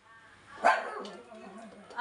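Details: Yorkshire Terrier giving one sharp, bright bark, then quieter wavering voices of people talking in Filipino close by.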